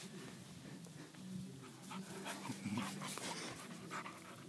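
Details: Aika, a five-month-old American Pit Bull Terrier puppy weighing 40.5 pounds, panting in quick breathy bursts with a faint whimpering tone threaded through, while a person talks softly in the background.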